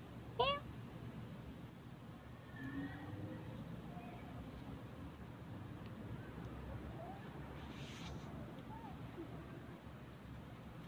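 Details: An orange pet cat gives one short, rising, tonal meow right at the start, followed by quiet steady background hum with faint indistinct sounds.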